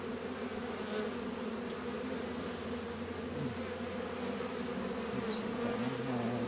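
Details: Honey bees working at an apiary hive on a 72-degree February day in northern Kentucky: a steady, dense hum of many bees with banded drone tones around the lower-middle pitch, constant throughout with faint brief whines overhead.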